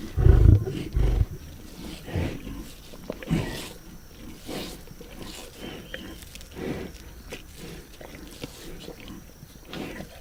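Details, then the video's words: Lions feeding on a zebra carcass, opening with a powerful, deep rumbling growl that fades into softer, scattered grunts and chewing-like noises over a thin, constant high-pitched tone. "Lions Eating Zebra Carcass Sound Effects"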